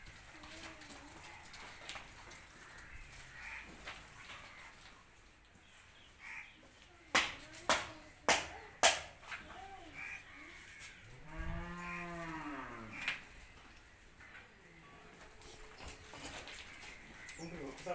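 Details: Punganur cows at the Bhagavadgita goshala during a Vijayadashami go puja: one low, drawn-out moo swells and falls over nearly two seconds. It comes after a run of sharp claps, with people talking throughout.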